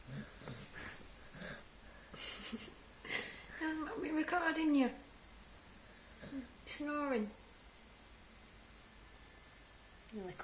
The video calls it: UZI the snoring staffordshire bull terrier